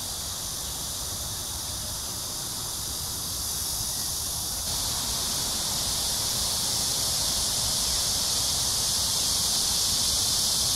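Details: Cicadas calling at Amsa Ecological Park on the Han Riverside, Seoul, South Korea, early evening of July 26, 2021, in a summer heat wave: a dense, steady high hiss that grows louder partway through, with faint low rumble beneath.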